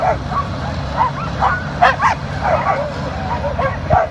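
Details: Excited sled dogs on a powered outdoor mill give high yips and rising whines in quick succession, several voices overlapping above a continuous low motor drone.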